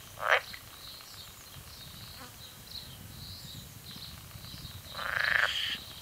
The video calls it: Chants de grenouilles vertes